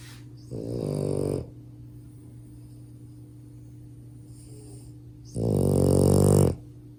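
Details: Max, a male French Bulldog puppy, snores loudly while sleeping: two deep, rattling, harsh buzzing breaths of about a second each, roughly five seconds apart, over a steady low indoor hum.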